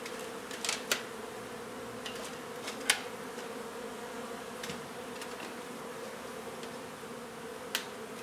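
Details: Honey bee colony disturbed while its hive is removed from a renovated old house in Donna, Texas; a continuous low, even drone with scattered sharp ticks and taps.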